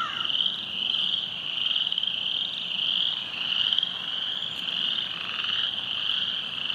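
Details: Along Silver Creek trail, flooded by heavy rain, many frogs call together in a steady shrill trilling chorus that pulses in soft surges, with a short lower chirp near the start.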